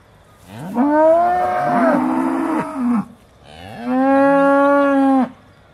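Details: Aussie Red dairy cows waiting to be milked, December 2012: two loud moos, the first wavering and about two seconds long, the second steadier after a short pause.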